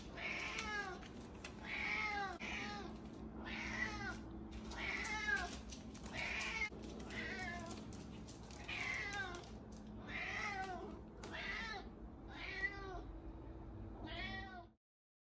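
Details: Female house cat indoors chasing her owner and meowing loudly and aggressively for a cheese sandwich. About ten drawn-out, rising-then-falling meows come every second or so over a low steady hum.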